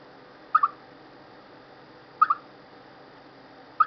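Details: Chipmunk calling before rain and bad weather: short, mid-pitched double chirps, each a quick pair of notes, repeated about every one and a half seconds over a steady low hiss.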